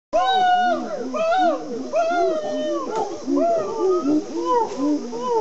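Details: Chimpanzees at Gombe calling out to each other within their community: overlapping hooting voices with rising-and-falling arched tones, repeated in quick succession.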